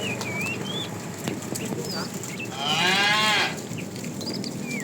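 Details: Afternoon herding of tame cattle, a fat male calling for a female: a short, slightly wavering moo under a second long, amid frequent thin chirping birdsong.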